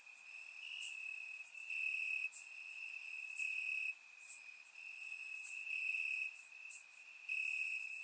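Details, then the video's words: Grass crickets in Bulgaria on a warm summer night keep up a continuous high, ringing trill, slightly louder in stretches, with short crisp higher clicks popping in at irregular moments. Surround microphone recording. "Cricket Sounds - Crickets Chirping at Night"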